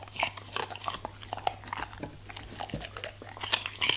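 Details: Crunchy bites from a German Shepherd eating fruit and vegetables indoors, with rapid sharp crackles and chomps in irregular bursts and a constant low hum beneath.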